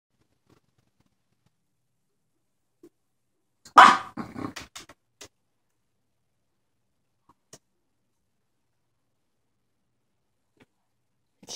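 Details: Miss Lilly, a snorkie yorkie dog, gives one sharp bark followed by a few short, quick yaps, then near silence in a quiet indoor setting.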